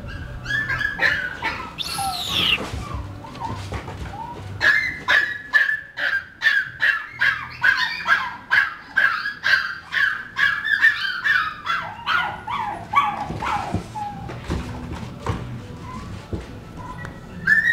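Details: Chihuahua barking excitedly: a long, rapid, fairly steady series of high, sharp yaps, some rising into a squeaky whine early on, continuing for over fifteen seconds with brief pauses.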